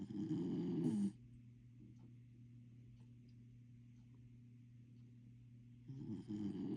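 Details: Corgi puppy snoring: a loud, rasping, low snore lasts about a second at the start, then a quiet steady low hum, and another rough snore begins near the end.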